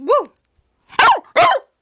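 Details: Charlie, a hyper puppy, gives a high whining yelp followed by two sharp barks in quick succession, indoors.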